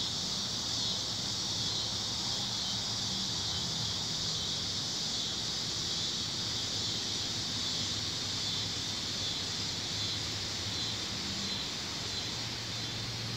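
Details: Tree cricket song forms a loud, unbroken, piercing high-pitched wall of sound that masks everything else, steady in pitch and volume, with only a soft low hum beneath.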